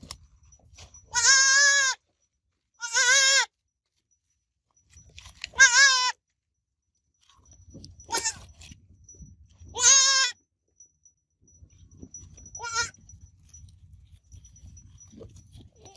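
A young goat gives high, wavering bleats, each under a second long, with pauses of a few seconds between them.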